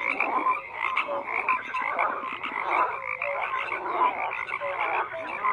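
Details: Thick chorus of croaking frogs, continuous rasping pulses from many callers blending together, with occasional brief tonal notes above the din.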